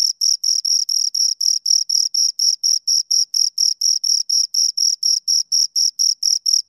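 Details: Crisp, regular chirps from two crickets, each short high rasp separated by a clear gap, about two per second, loud and close with a silent background.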